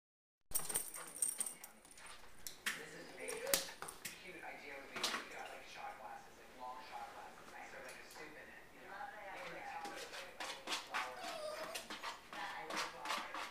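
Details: Two Italian Greyhounds at dinner time give high, thin whines that rise and fall, broken by short yips and sharp clicks, while their food is prepared amid kitchen clatter and a person's voice.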